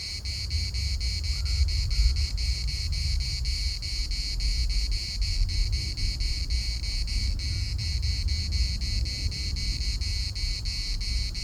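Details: Rapid rhythmic buzzing of a cicada chorus in Larnaca's municipal park, continuous and even across the recording, accompanied by soft constant wind rumble.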